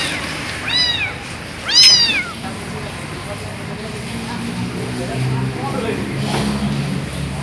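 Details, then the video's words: Kitten that was thrown away gives two sharp, rising-and-falling cries near the start, the second loud and strained, before the sound fades to a low hum of traffic and distant talk. "Suara anak kucing dibuang"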